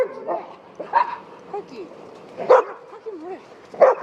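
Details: Mixed group of large dogs and a Shiba Inu at a Rotterdam dog run, March 2024; short barks at irregular intervals, roughly every one to one and a half seconds, mixed with wavering whines and nearby human voices.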